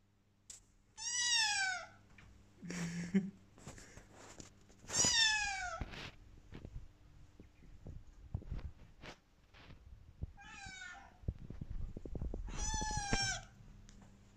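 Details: A Bengal kitten cries whenever its owner wants to leave, giving loud, high meows that slide downward, repeated every few seconds.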